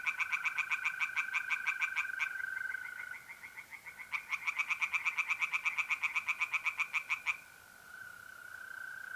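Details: Pond tree frogs at night in mid-April, north-east Italy, give two rapid rattling pulse trains, each about two to three seconds long, separated by a pause in which the continuous trilling of mole crickets carries on alone.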